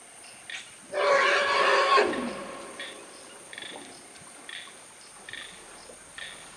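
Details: African forest elephant calf cooling off in the water at Dzanga Bai, Central African Republic, while its mother drinks; one loud, harsh, rich call lasting about a second, ending in a falling tail, over a steady background of frogs and insects.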